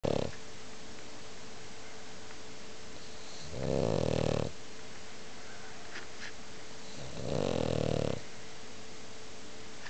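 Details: French Bulldog named Sophie snoring loudly indoors: two long rasping snores, each about a second, around four and seven and a half seconds, with quiet breathing between and a steady background hum.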